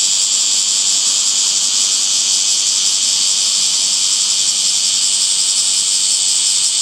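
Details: Cicadas calling in summer among green trees: a dense, steady, high-pitched hissing buzz that holds unbroken for the whole stretch, without distinct pulses or pauses, and no other clear sounds.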